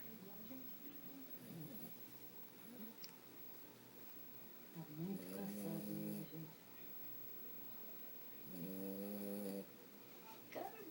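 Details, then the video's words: Fred, a sleeping French Bulldog, snores indoors: a rasping, buzzy snore in the middle and another near the end, with softer breathy sounds and low human voices talking in the background. "Fred roncando"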